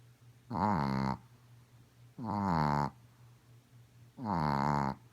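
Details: Sleeping pet Chihuahua Godiva, a female, snores loudly as usual: three steady, rasping, tonal snores repeating roughly every one and a half seconds, each lasting under a second, with quiet gaps between breaths.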